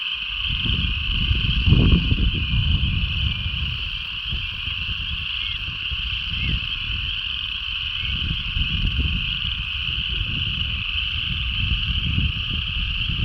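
Frogs calling together in a steady, high, ringing chorus, with low rumbling wind noise underneath.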